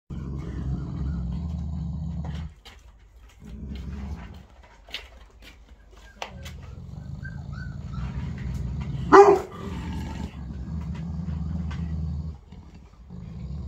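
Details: Aggressive Boerboel dog giving low, rumbling growls in long bouts broken by brief pauses, with a few sharp clicks and one short louder burst near the middle.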